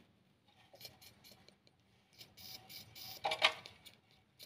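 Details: Quiet metallic jangling and a few sharp clinks in a small room, without any animal sound.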